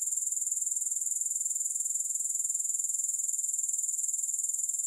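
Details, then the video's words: Grasshoppers, with no music added: a dense, high, hissing trill of very rapid even pulses that runs steadily without a break. "3 Hours of Grass Hopper Sounds"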